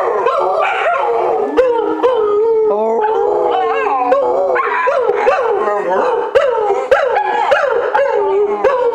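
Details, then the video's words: Two pet dogs on a military base howling along with the nightly 9 pm "Taps" played over loudspeakers, one excited and singing high-pitched; continuous wavering, rising and falling howls overlap throughout. "Merlin and Jett "sing" together."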